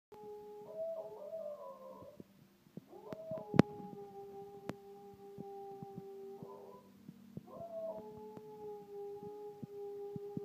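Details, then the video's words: An Australian Cattle Dog, Buster, howls in wavering, rising and falling bursts over a steady siren tone, imitating a passing fire truck, as he does at emergency vehicles. "Adorable Australian cattle dog doing his fire truck impersonation"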